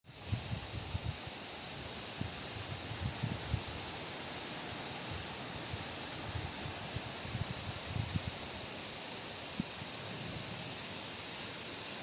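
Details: Cicadas in Yotsuike Park, together with wind, keep up a steady, high, hissing drone without pause; low gusts of wind rumble and rise now and then underneath.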